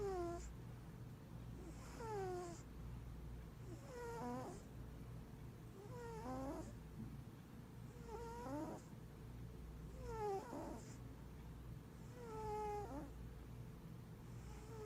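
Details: A giant Maine Coon cat purrs low and steady, with a whistling snore on each breath about every two seconds.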